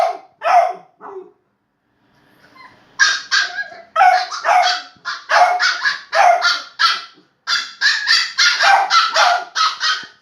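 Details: Playful barking from a Shiba Inu and a Beagle puppy: a few isolated yaps, a quiet gap, then a rapid unbroken string of shrill, excited barks running to the end.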